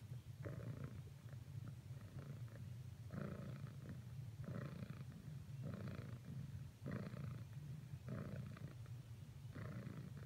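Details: Persistent cuddling attempt by a female pet cat toward another cat: a continuous low purr pulses in regular breathing cycles, with a louder rasping burst roughly every second and a half.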